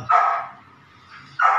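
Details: Belgian Malinois puppy, nine weeks old, during ball and prey drive training; two loud, harsh barks about 1.3 seconds apart, each with a strong tonal core.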